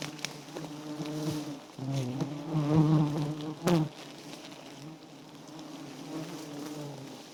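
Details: Wild giant honey bees at a small nest heavy with honey, Thailand: a steady low droning hum with harmonic bands, swelling louder midway, with brief clicks and knocks over it.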